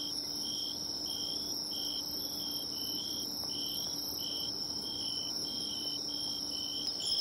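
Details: Bell cricket singing at the seaside, found by following its sound: short ringing notes repeated about twice a second over a steady, high, shrill chorus of other insects.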